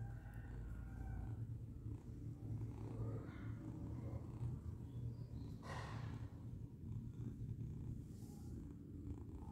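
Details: A female lilac tortie British Shorthair cat, a GCCF Grand Champion, purrs steadily with a deep continuous rumble and a soft rhythmic pulse.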